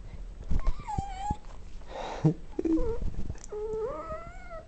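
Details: Greeting at lunchtime: Johnny, a dog who can't see well, whimpers indoors as his owner arrives to let him out, ending in a long, rising, nasal whine, with a person's voice asking if he wants to go out.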